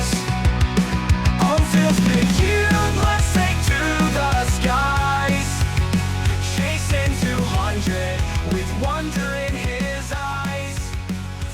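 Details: Loud rock music with heavy bass, steady drums and distorted guitar throughout, with no animal voice audible.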